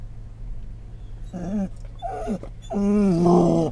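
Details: Scottish Terrier riding in a car in October 2010, reacting to stimuli: three wavering, harmonic whining moans rising and falling over a couple of seconds, the last one longest and loudest, over a steady low engine hum.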